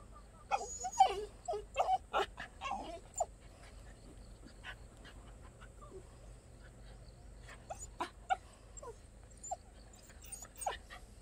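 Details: A rare black native Jindo dog at Wondeok-ri, Gwangdeok-myeon, Dongnam-gu, Cheonan-si, giving a burst of short high whimpers and yips over the first three seconds, then scattered sharp yelps near the end, over a steady low hum.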